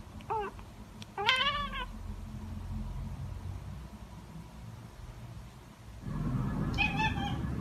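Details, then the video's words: ['Household cats Mieze, a calico, and Billie, a tabby, give two quick meows close together. After a pause a softer meow sounds against a rising low background hum.'] "Calico Cat Mieze & Tabby Cat Billie's Cute Voice"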